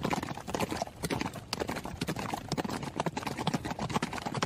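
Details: Running horse heard as loud, distinct hoof clops, strong low thuds with sharp tops, falling in irregular groups about twice per second over a light continuous rumble.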